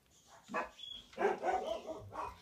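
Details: Household dogs barking in the background while a pet cockatiel eats its first meal in a new home; a few short, muffled barks in irregular bursts, with a person speaking softly nearby.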